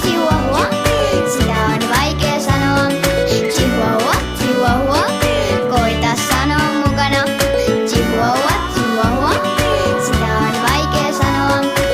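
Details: Upbeat children's music with a steady beat and bright melodic lines fills the recording, with no animal sound.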